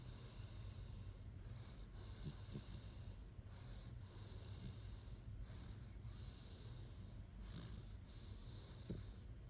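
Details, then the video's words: Great Dane sleeping and snoring indoors: soft, breathy rasping snores in a steady rhythm, each hissing breath lasting about a second with short pauses between, over a constant low hum. "Snoring Great Dane"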